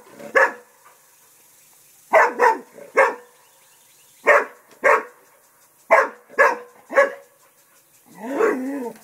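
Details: ['English Springer Spaniel Festus barks and growls at a turtle he thinks threatens the house: about eight loud, abrupt barks in irregular bursts, some paired, ending in a rougher, growl-like sound.']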